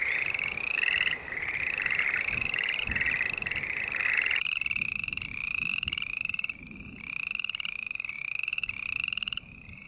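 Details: Green tree frogs in chorus, rasping nasal notes that rise slightly, packed closely at first, then separating into distinct bursts of rapid repeated calls with brief pauses between them.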